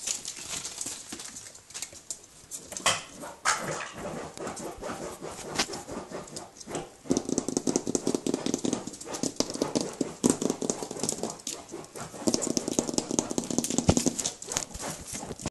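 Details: A Basenji puppy, almost 6 weeks old, gives short, uneven whines and yelps indoors while a person talks softly nearby.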